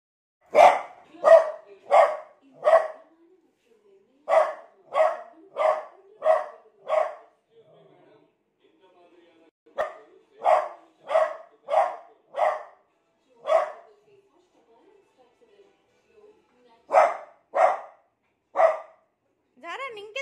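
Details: Beagle, scared of a new cot, barking indoors in a long run of loud broadband barks, in bursts of four to five, about one and a half per second, with short pauses between bursts.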